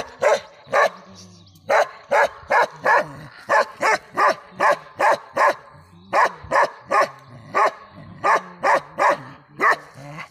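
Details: Bakarwal dog giving loud, evenly spaced single barks, roughly two or three per second, with a short pause after the opening bark and faint low background hum.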